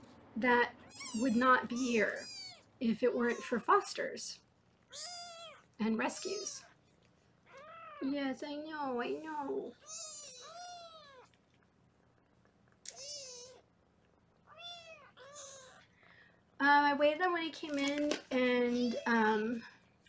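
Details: Foster kittens in a Los Angeles kitten room, filmed on a live 24/7 kitten cam while being weighed, give many arching, high-pitched meows in overlapping bursts, mixed with a woman talking indoors.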